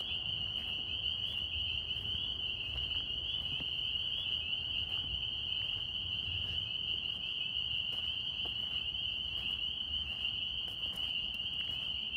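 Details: Northern spring peepers calling in New York. Countless high piping notes blend into one steady, shrill drone, with a few soft clicks and light low background noise.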